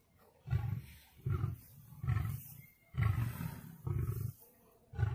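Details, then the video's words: Lion in a fight against a tiger, five or six heavy low roars spaced about one second apart, each a throaty rumbling burst. "Lion vs Tiger full battle HD original sound"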